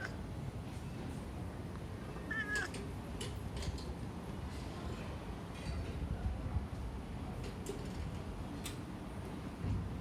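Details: A chubby domestic cat gives a brief, high, squeaky mew over a steady low rumble.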